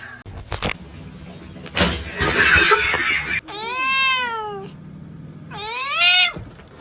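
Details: Domestic cats fighting, from a funny-cats compilation: a harsh, noisy hiss-like burst, then two drawn-out, strongly harmonic meows that rise and fall in an arch, the second shorter and higher, with faint room noise between.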